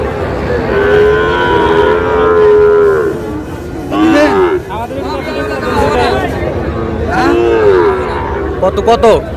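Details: Sahiwal bull calves at a cattle market on 20 August, being bought by a farmer from Tangail: several drawn-out, mid-pitched moos, some rising then falling, come in overlapping bursts while men haggle loudly over prices nearby.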